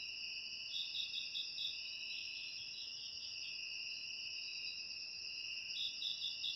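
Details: Crickets shared as a sound for driving rats out of a house: steady high, shrill trilling from several insects, with rapid pulsed chirps rising out of the drone near the start and end.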